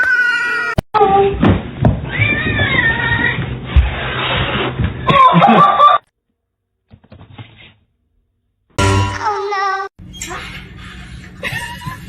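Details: Domestic cats in a funny compilation 'talking', giving several drawn-out, wavering meows in bursts, with a pause of near silence mid-way, then more meows over background music and people's voices.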